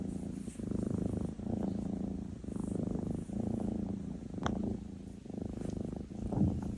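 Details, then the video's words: Sleeping Maine Coon named NaNa gives a deep, vibrating snore in rhythmic bursts roughly one second long, with a single sharp click midway through. "娜娜呼噜呼噜NaNa Snoring"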